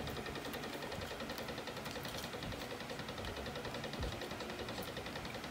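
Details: Steady mechanical hum with rapid regular ticking, like a running motor, and no animal voice.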